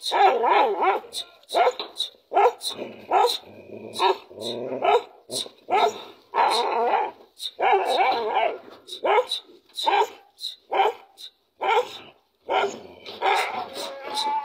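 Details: A dog barks in short, harsh bursts, irregular at roughly one per second, with some growling between barks. Human voices talk over and around the barking indoors.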